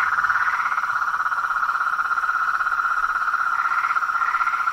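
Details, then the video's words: Toads, frogs and tree frogs calling in nature: a dense, steady chorus of fast pulsed trilling at a mid pitch runs unbroken throughout, with a few brief rising notes swelling above it near the start and end. "Os sons dos sapos , rãs e perereca na Natureza"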